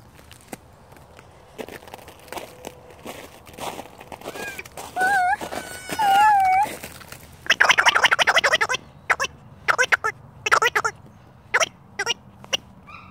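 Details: A rescued red fox, given a new toy, lets out several short, high, wavering whines that bend up and down in pitch. Loud crinkling, crunching bursts follow, with a faint human voice in the background.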